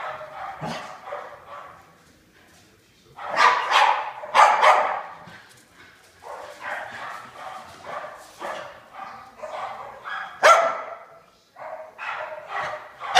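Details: During their daily tag game, two pet dogs named Pig and Joker make fast strings of gruff barks and playful growls, with several louder bursts between softer, rapid grumbling.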